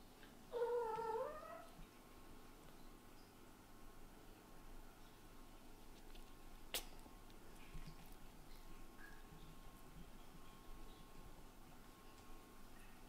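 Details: Kitten Latte, a white-and-brown shorthaired eldest son, frustrated indoors as mother cat Lulu, a blue tabby Scottish Fold, ignores him: one short, wavering meow with strong harmonics near the start, then steady low room hum and a single sharp click.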